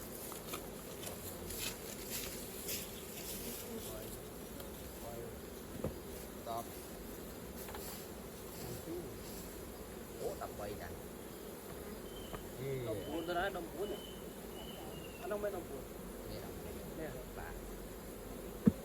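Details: Honey bees at a hive opened for raw honey collecting, a steady low droning hum running throughout, with scattered clicks and handling noises from the work at the hive.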